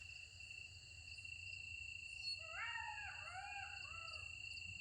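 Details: Several golden jackals call at night near a village, wavering, rising and falling wails over a steady insect drone.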